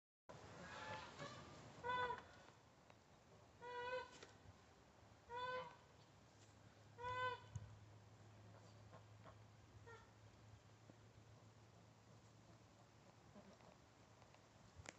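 A Nigerian Dwarf goat gives short, high, nasal bleats, repeated every couple of seconds.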